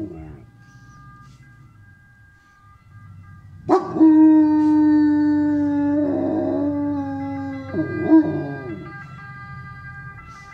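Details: German Shepherd; howl; reacting to an ambulance siren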